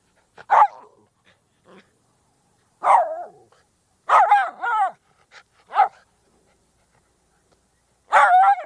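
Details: Miniature Schnauzer barking in sharp, high, harmonic yaps, single or in quick pairs, separated by pauses of one to two seconds, with near silence between barks.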